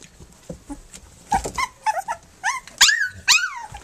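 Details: Puppies three weeks old, nursing and playing together: a run of shrill squeals and whiny yelps growing louder, rising-then-falling cries repeated in quick succession amid snuffling and shuffling sounds.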